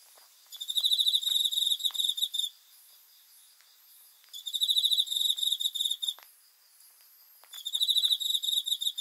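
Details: Cricket singing at night: three long, bright pulsed trills of about two seconds each, coming every three to four seconds, with soft scattered ticks in the background.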